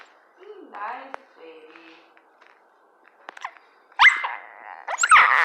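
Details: Annoyed dachshund under a blanket, grumbling when poked: soft, wavering, moaning whines that rise and fall. A woman then speaks loudly over the dog.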